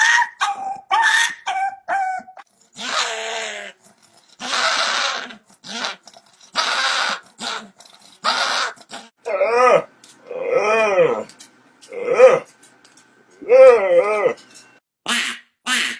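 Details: Dog making weird, funny sounds: a string of short whines and yelps, then longer wavering, warbling yowls that rise and fall in pitch, with brief gaps between calls.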